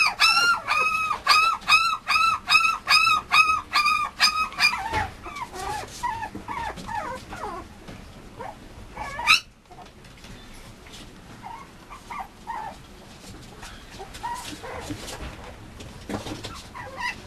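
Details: Mame Shiba puppy, a male kept by a breeder, giving a quick rhythmic series of high, looping whines for the first five seconds, then only faint scattered whimpers and soft rustling.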